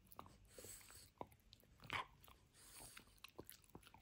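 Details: Benedict, a French Bulldog, demolishes his toy dinosaur: scattered crunchy bites and chewing clicks, with a couple of louder snaps near the two-second mark, recorded indoors in a small room.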